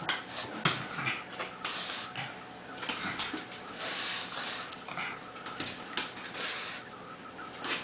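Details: Two dogs, a Pug and a Bernese Mountain Dog, play-wrestling indoors; wheezy, breathy snorts and grumbling growls run almost continuously, with scrabbling bursts and brief whines throughout.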